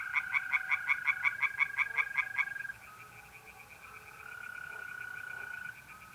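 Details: Night chorus of tree frogs at a pond in north-east Italy, mid-April: a fast burst of loud pulsed croaks for about two and a half seconds, then quieter distant frogs and the continuous buzzing trill of mole crickets.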